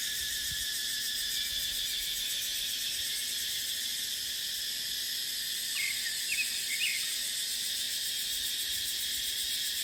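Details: Cicadas in dry dipterocarp forest during the dry season: a constant piercing buzz with no pauses, and a couple of soft bird chirps just past the midpoint.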